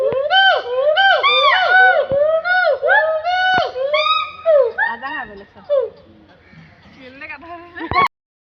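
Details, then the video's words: Gold and black monkey calling in Assam State Zoo, Guwahati: rich, arching whoops in a fast rhythmic series that break into shorter, quieter notes and fade out, then one final sharp note. "Gold and black monkey sound funny sound"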